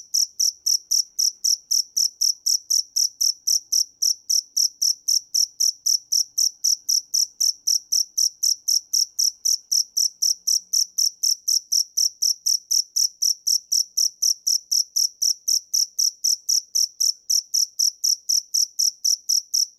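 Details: A steady cricket song: high, ringing pulses repeated about four times a second, unbroken for the whole stretch and very uniform in loudness.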